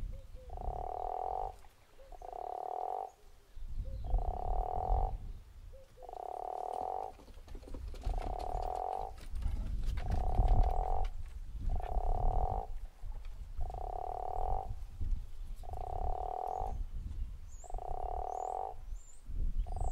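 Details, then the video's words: Long run of ten evenly repeated snoring calls, each about a second, from a guttural toad at Zeekoevlei. A low rumble sits underneath, and thin high chirps come in near the end. "The Snoring Toad"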